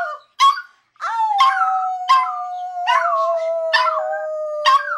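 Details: Male Toy Poodle, kept as a pet, howls after showing off tricks like sit, shake and turn around. Two short yelps open, then a long drawn-out howl slowly sinks in pitch, punctuated by breathy yips roughly every second.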